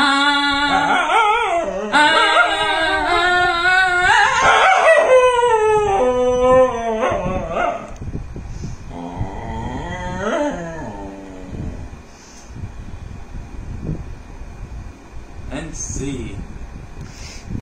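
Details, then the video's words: Dog singing along with its owner, long wavering howls with rich harmonics rising and falling over the first eight seconds, blending with a person's voice, then quieter sliding tones and scattered noises. "দেখুন কুকুর তার মালিকের সাথে গান করে।"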